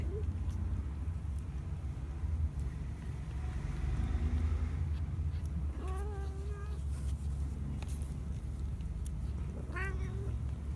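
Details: Kittens two weeks old give drawn-out, slightly wavering mews near six seconds and again near ten seconds, with a few faint squeaks earlier, over a constant low hum like a passing vehicle.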